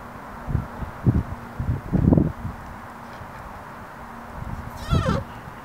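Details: Captive male mountain hare in an enclosure during the rut, chasing a female and sometimes attacking the keeper: a series of low, short pulsed grunts at irregular intervals, followed by a brief descending squeal and a man's voice.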